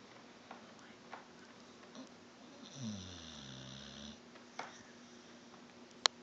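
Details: Sleeping dog snoring indoors: one drawn-out, low rumbling snore with stacked harmonics lasting about a second and a half, set among faint breathy sniffs and a few soft clicks in a quiet room.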